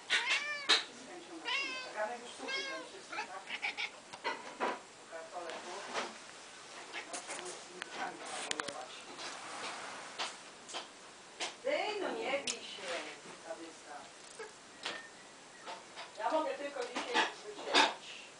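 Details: A pet cat called Luna reacting to falling snow with what is described as barking: clusters of quick, bright, stuttering chirps repeated in several bouts, mixed with quiet human speech in a small indoor space.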